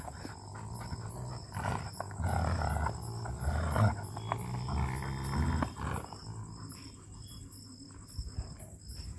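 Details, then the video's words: During tyre pulling between a male German Shepherd and a female Rottweiler, heavy low growling swells from about the second mark to six seconds, thick and rasping, before fading to quieter rumbles under a constant high-pitched cricket-like buzz. "German Shepherd vs Rottweiler Growling"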